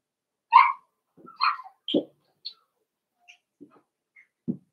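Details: Cavalier King Charles Spaniel puppies playing in an indoor home puppy pen: scattered short high whines and yips, a few sharp squeaks and low grunts between them, separated by quiet gaps.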